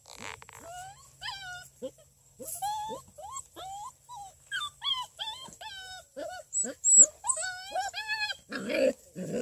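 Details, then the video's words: Six-week-old female Redbone Coonhound puppies from a breeder near Kingston, Ontario, Canada, busy and playful; high whining yelps rising and falling in short bursts, several pups overlapping, with a brief rough noisy burst near the end. "6 week old female redbone coonhound puppies"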